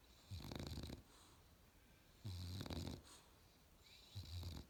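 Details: Sleeping Australian Bulldog puppy gives three snores, low throaty rumbles with a hissing nasal overtone, each under a second long, separated by quiet pauses of over a second.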